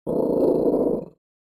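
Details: A Chihuahua growls in a single rough, rumbling burst of about one second. The growl is steady and dense, then cuts off abruptly into silence, with no other sounds.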